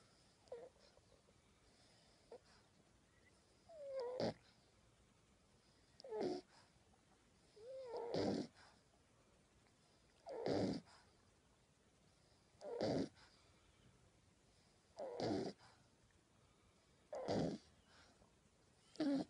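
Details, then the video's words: Sleeping puppy with soft snoring breaths about every two seconds, each bringing a short whistled squeak that bends up and down; a quiet room otherwise. "Cute And Funny Snoring Puppies Compilation!"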